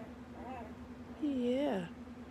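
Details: Eight-day-old puppy from Autumn's litter of nine, two chocolate, three yellow and four black, resting in piles indoors; a faint short squeak, then a louder high whine that rises, wavers and drops, over a steady low hum.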